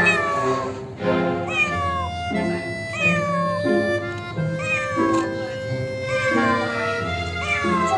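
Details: Young domestic kitten that got stuck under a car's front hood and was coaxed out with small pieces of canned fish; repeated rising-falling meows, about one per second, over steady background music.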